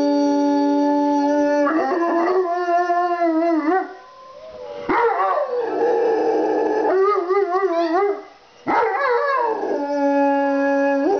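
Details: A Rottweiler and a Pomeranian howl together in long, wavering tones, answering wolf howls played on a computer, with the Pomeranian's voice noticeably higher and screechier.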